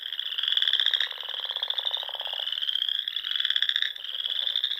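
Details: Spring frog chorus from small lakes in Nebraska's Sandhills at dusk, several callers trilling together in a steady, high pulsing buzz, one lower rattling voice fading out midway.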